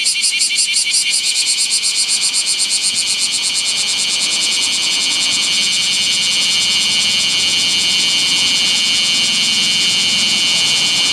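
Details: A bear cicada sings beside a national road in the daytime heat, above 39°C, on 7 August 2020: a loud, shrill, high buzz that pulses rapidly at first, then runs on unbroken.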